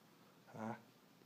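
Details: A dog named Sif, getting used to wearing a harness, gives one short tonal whine of about a quarter second with stacked harmonics, swelling and fading quickly against a quiet background.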